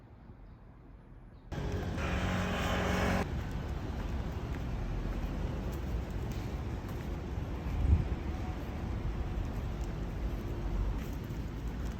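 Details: Near silence gives way abruptly to continuous broadband rumble like passing traffic or aircraft, with no animal voice.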